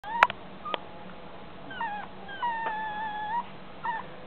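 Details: Blue Chihuahua born 13 April 2013 whimpers in thin, high whines: a short bent whine, then a long wavering one lasting about a second, and a brief final whine, with a few sharp knocks and clicks at the start.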